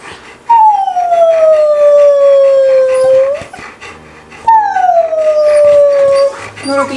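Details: Two Old English Sheepdogs being taught to howl give two long, sliding howls, each starting high and falling smoothly.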